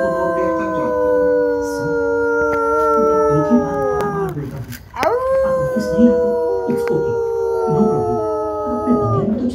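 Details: Rottweiler howling: two long, steady, slightly falling tonal howls with strong overtones, each about four seconds, separated by a short break with a sharper yelp-like onset.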